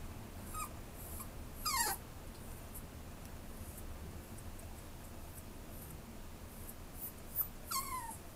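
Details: Two high whimpers from a white Schnauzer, one early and one near the end, each a thin squeal falling in pitch, separated by several seconds of low background hum.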